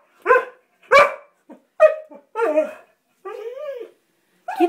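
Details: Springer spaniel Abby, a female pet, barking excitedly at a water bug in a bathtub; sharp, irregular barks then a longer wavering whine, in a small indoor room.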